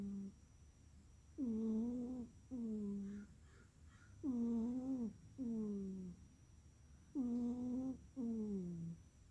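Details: Pet cat asleep indoors, snoring: tonal, whistling nasal snores in pairs, a longer breath followed by a shorter falling one, each pair recurring about every three seconds over a faint steady background hum.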